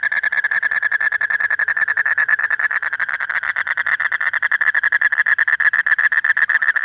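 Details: Breeding-season male Asian common toad calling non-stop at night to attract a female; a loud, even, machine-like trill of rapid pulses continuing unchanged throughout.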